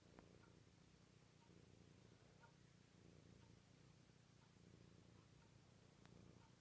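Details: Domestic cat purring loudly during a morning cuddle indoors; a steady low rumbling purr runs throughout with soft rhythmic pulsing and faint small clicks.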